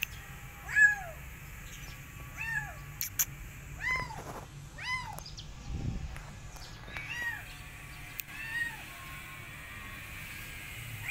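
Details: Rescued kittens, afraid of a giant rabbit and running away from him, meow again and again: about seven high, arching cries rise and fall over eleven seconds, some overlapping, with a low background hum.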